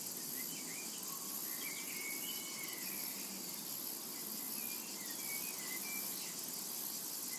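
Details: Cicadas in a summer meadow, a dense steady high hiss with a faint pulsing shimmer throughout, while scattered short whistled bird notes drift in the background.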